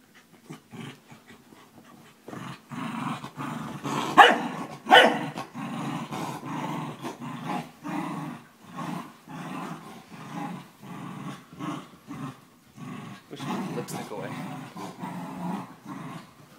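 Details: A 12-year-old corgi playing tug of war with a 4-month-old German shepherd puppy growls in rough, rumbling bursts, rising and falling in waves with brief pauses.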